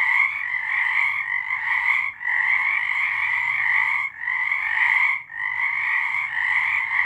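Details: Nighttime frog chorus recorded in March 2023: many frogs trilling at once, fast pulsed notes merging into an unbroken high ringing drone, with short lulls around two, four and five seconds.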